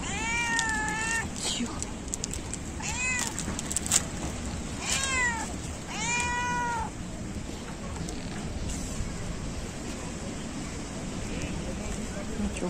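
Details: Cat on a beach asking loudly for treats while being fed: four loud, drawn-out meows in the first seven seconds, each rising then falling, over steady surf-like rushing noise and a person's voice.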